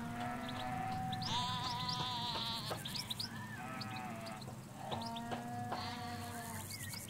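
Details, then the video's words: Ewes and lambs in a field in the Hampshire countryside, recorded in stereo beside a hedge: several overlapping bleats, some deep and wavering, others higher and steady, with small birds chirping and twittering throughout. "4K Sheep Field - One Hour Sound and Video"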